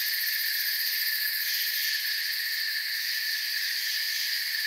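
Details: Crickets in a forest setting, heard as a steady, dense chirping chorus with unbroken high bands of sound and no pauses, making a constant shimmering drone throughout.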